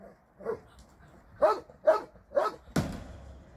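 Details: Dogs at a shelter, visited on a Sunday volunteer day: a few broad barks, three spaced about half a second apart, then a sharper final bark, over faint background noise.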